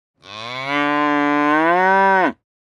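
A cow gives one long, steady moo that holds its low pitch, then drops away at the end.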